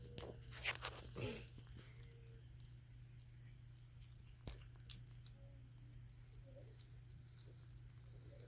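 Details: A kitten grinds its teeth while eating canned food, making short, dry crunching and scraping bursts.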